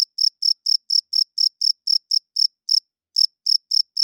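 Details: Cricket chirping at night: bright, high, short pulses repeated steadily about twice a second, with one brief pause near the end; no other sounds.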